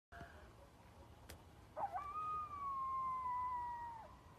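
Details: Coyote in upstate New York: a couple of short rough yips, then one long steady tonal howl held for about two seconds, gently falling at the end, over a quiet background with a single click.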